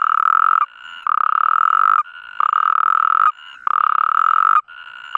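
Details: Mating chorus of natterjack toads in the Iberian Peninsula. Long, harsh rattling trills of about a second alternate with a quieter, higher-pitched trill from another toad between them.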